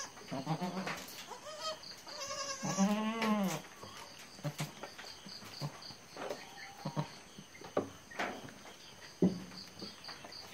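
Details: Goat that has just given birth to three kids: short bleats open the scene, then a long, loud, wavering bleat that bends downward, followed by scattered softer calls and handling noises.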